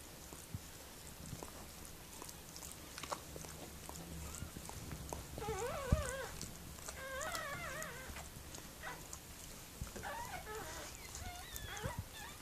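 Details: Whimpering during the birth of puppies by Mirella, a Miniature Pinscher; quavering whines come in two short bursts midway and near the end, amid rustling and soft clicks in a small room.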